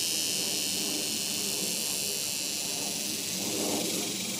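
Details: Cicadas in summer, an unbroken high hissing buzz filling the background at an even level, with faint murmuring voices and low rumble beneath.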